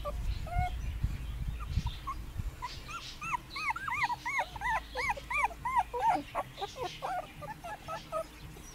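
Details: A litter of puppies out in the garden for the first time in 2017: low rumbling at first, then a quick series of rising-falling whimpers about three per second, fading into softer scattered squeaks.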